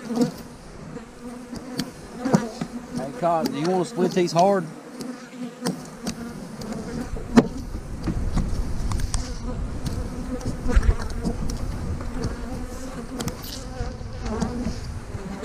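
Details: Honey bees buzzing around hives being split, with queen cells in the splits, dated 3/2020; a steady low hum with overtones, brief wavering voice-like tones early on, rumbling handling noise and sharp clicks and knocks throughout.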